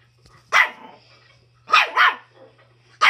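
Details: Schipperke dog in the company of a chicken, three sharp bark bursts, one a quick double, separated by short pauses over a low constant hum.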